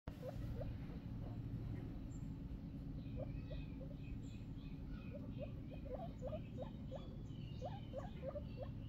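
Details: Baby guinea pig giving short, high, upward-flicking squeaks, scattered singly and in quick runs through the second half, over a steady low hum.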